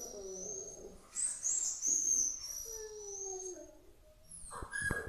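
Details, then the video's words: A Rottweiler, upset over a puppy, gives drawn-out, wavering howls mixed with thin, high-pitched whining tones. "Rottweiler che ulula"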